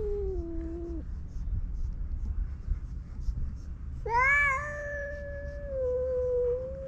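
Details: Two male stray cats facing off in a fight on a cat island; a short low moan, then a loud, harmonically rich, sustained yowl holding steady for nearly three seconds, with low background rumble.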